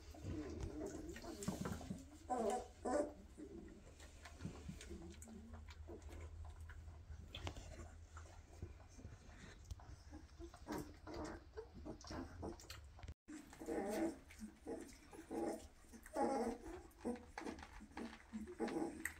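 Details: A litter of Weimaraner puppies at 2.5 weeks, eyes open and moving fast, begging their mother to nurse: faint squeaky whimpers come in scattered bursts amid shuffling and low room rumble, with a brief break midway.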